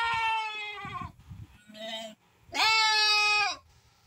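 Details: Santa Inês lambs of pure breed, raised for sale, bleating: two long, loud, harmonic-rich bleats about a second each, separated by a shorter, quieter bleat, with faint low rumbling between calls.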